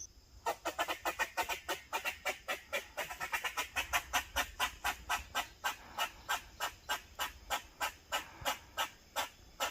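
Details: Eastern gray squirrel barking protectively in a fast, steady series of short, sharp chuck notes, about three to four a second, continuing without a pause for almost ten seconds.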